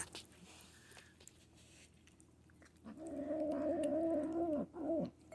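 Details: Manx kitten, a young female, making gremlin-like noises while eating, guarding her food. A low droning growl-moan with a steady tone starts about halfway, briefly breaks, then resumes; faint chewing before it and a man talking nearby.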